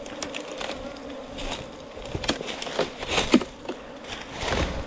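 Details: Steady drone from a colony of honey bees nesting in a 4-metre bamboo stem, broken by frequent sharp knocks and crackling handling noises.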